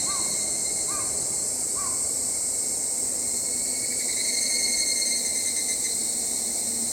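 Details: Evening cicada (Tanna japonensis, known as higurashi or kanakana) shrilling: a steady, very high, sizzling drone holding throughout, with a wavering pulsed stretch midway and three short, soft, falling whistled notes near the start.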